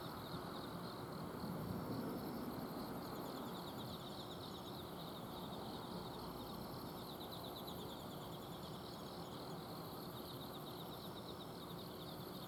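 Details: Several autumn insects chirp steadily at night in a home garden in Azumino, Japan. Fast, evenly pulsed high trills overlap throughout, set against the continuous low whir of an air-conditioner outdoor unit.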